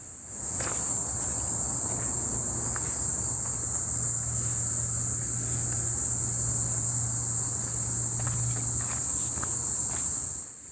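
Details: Cicadas sing a steady, high, hissing drone that never breaks, with footsteps crunching nearby, on a cool, rainy late-summer day on the Wonjeoksan trail in Incheon, South Korea; the cicadas could not be spotted in the trees.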